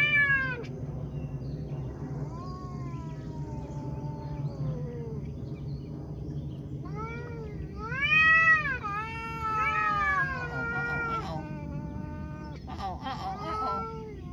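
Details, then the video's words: Cats talking in a run of meows: a falling opening call, long drawn low wails, then several quick arched meows overlapping near the middle, over a constant low hum. "Cats talking"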